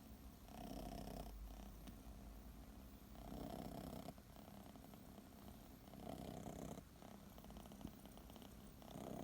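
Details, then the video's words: Purring, snoring six-month-old kitten Chachamaru dozing under a kotatsu; deep continuous rumble pulsing in breath cycles roughly every three seconds, with slight nasal snort-like edges and no other sounds. "いびきをかきながらコタツで寝る子猫 cats snore"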